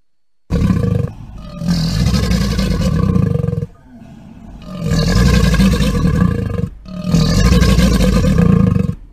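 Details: Crocodile giving deep, rumbling, growl-like bellows: three long roaring bursts of about three seconds each, heavy in low tones with a strong rasping texture, separated by brief pauses.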